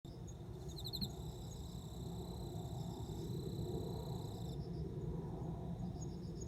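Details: Male cricket calling to a female before mating, recorded September 29: a steady high ringing trill runs for about four seconds, opened by a short burst of rapid pulsed chirps, over a constant low background rumble.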